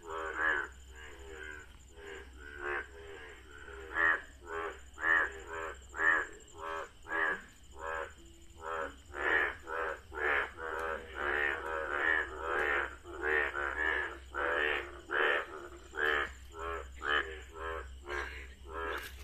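A frog chorus of loud, nasal, croaking calls that overlap in quick, uneven bursts.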